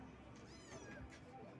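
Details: A cat gives one short, faint meow that rises and then falls, heard over a steady low background hum.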